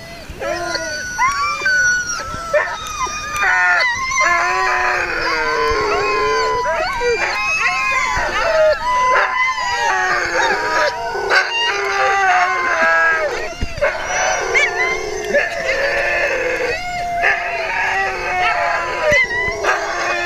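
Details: Dense chorus of sled dogs at the Gunflint Lodge, Grand Marais, Minnesota, ahead of dog sledding: many wavering howls and yelps layered continuously, with voices of people mixed in.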